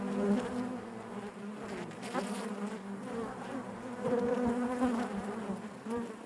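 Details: Honey bees buzzing inside their hive: a dense, continuous hum with a steady low drone and layered harmonics, swelling and fading with brief louder bursts as individual bees pass close.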